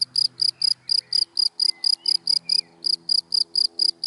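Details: Close, loud cricket chirps from dry grass during the day: bright pulsed notes repeated around four times a second with a short gap, over a low hum and faint whistles.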